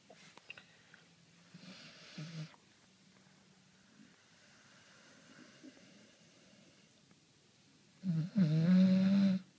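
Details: Leo the dog asleep: a soft low snore early on, a long quiet stretch with faint breathing, then one loud, harsh, drawn-out rasping snore near the end.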